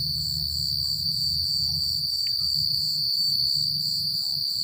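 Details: Night chorus of crickets in quiet countryside, with soft wind and rustling leaves described: a continuous shrill trill overlaid with rapid, evenly throbbing pulses. A low rumbling background runs beneath throughout.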